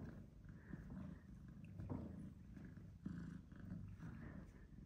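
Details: Indoors, Tom, an older black-and-white domestic shorthair male, disciplines Charlie, a British Shorthair male kitten. The deep, pulsed purring swells and fades in cycles of roughly one second, with faint rustling.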